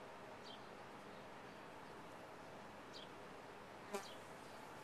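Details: Soft, even hum of honey bees around a top-bar hive under a few thin descending bird chirps, with one sharp click or tap near the end.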